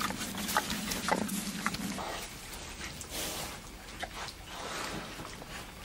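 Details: Wild boars, several animals, digging up the soil of a greenhouse; short rough grunts in the first second or so over steady rustling and scraping of earth, with a constant low hum underneath.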